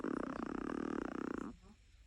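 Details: A small female Chihuahua snores with a buzzy, rattling breath that stops abruptly after about a second and a half.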